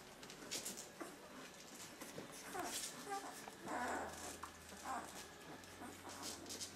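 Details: A litter of thirteen puppies from Limit in their second week of life, heard indoors: several whining squeals arrive in irregular bursts, one long and others brief, over a low steady hum and occasional voices.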